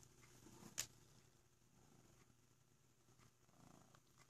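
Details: Heavy purring from Sokrates, a black cat cuddled up in a box: a faint continuous low rumble throughout, with a sharp rustle near the start.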